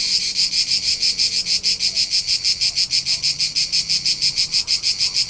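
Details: In the hills of Tuscany, Italy, during summer, a cricket keeps up a shrill, regular pulsed chirp, close to three beats each second, clean and unbroken against near silence below.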